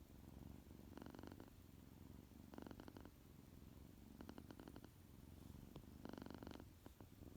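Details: A tuxedo kitten, male, purrs loudly just after waking from his nap indoors; a low steady rumble with rhythmic bursts of stronger purring roughly every one to two seconds.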